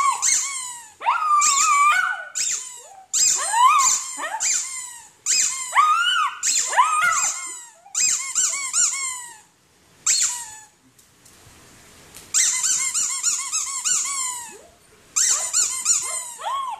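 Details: Poodle in a barking and howling compilation, giving long bursts of shrill, squeaky barks, several per second, each ending in a whiny falling tail; a brief quiet gap midway, then the barking resumes.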